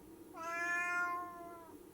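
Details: A domestic cat meows just before jumping, a single drawn-out harmonic-rich meow lasting about one and a half seconds, steady then gently falling at the end, in a quiet indoor setting.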